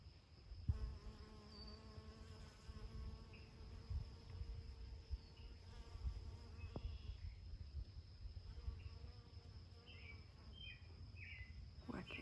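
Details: Honey bees on flowering alsike clover, 8 June 2020. A continuous wavering drone of wingbeats hums for most of the stretch, with faint bird chirps toward the end and a constant low outdoor rumble beneath.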